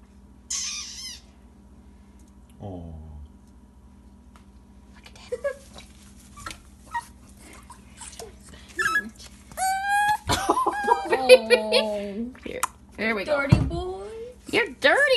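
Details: A male Puggle (pug-beagle mix) puppy at his first bath gives high, wavering whines and squeaky yelps, with a person's voice nearby.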